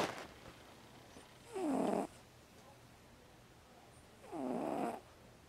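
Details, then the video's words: Snoring from Pumpkin, a vocal female house cat asleep at nap time: two breathy, buzzing snores, each about half a second long, the pitch dipping and then rising, three seconds apart, in a quiet room. "Snoring Cat"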